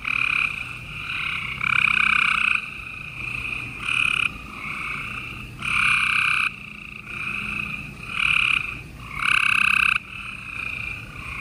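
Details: Gray treefrogs chorusing at night in Houston, Texas, on 28 April 2020, in spring: loud, buzzy trills about a second long from several overlapping frogs, surging and fading every one to two seconds over a constant softer trilling background.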